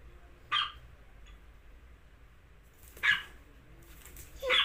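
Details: Dog letting out three sharp, high barks separated by long pauses of about two seconds, the last one slightly drawn out, with a quiet low hum underneath.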